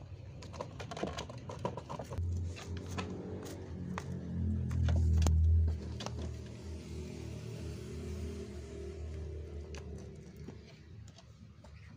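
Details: Music plays indoors with low rumbling, scattered taps and knocks, and brief faint speech, without any clear animal voice.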